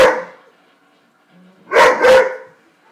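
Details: Weimaraner dog reacting to a buffalo on a television programme in March 2012, giving one bark then a quick pair of loud, harsh barks, with a faint low background hum.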